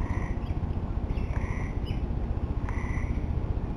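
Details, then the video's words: Tree frogs calling at the end of summer: short, tonal, slightly nasal notes sound at irregular intervals over a steady low rumble. "Tree Frogs Talking"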